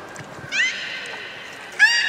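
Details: Captive beluga whale at Port of Nagoya Public Aquarium, Japan, 30 March 2019, during fish feeding and play time afterwards: two high, harmonic squealing whistles, one drawn out for about a second, then a brighter rising one.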